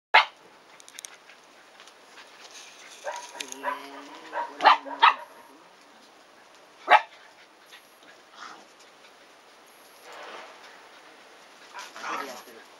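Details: Shiba Inu puppies, three brothers aged 109 days, playing at home with a visiting seven-month-old female named Peko; a nasal whining tone followed by sharp yips and barks in mid-clip, then scuffling and quieter rustling with pauses between outbursts.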